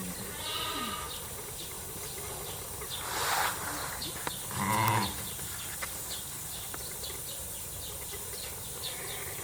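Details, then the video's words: Lambs less than a month old at Rokko Mountain Pasture in Kobe, Hyogo, Japan, on the public opening day, 8 March 2025. A loud, harmonic bleat lasting about half a second rises midway, with a fainter bleat earlier, over steady hiss and soft ticking. "sheep 羊 赤ちゃん どうぶつ 鳴き声 ヒツジ"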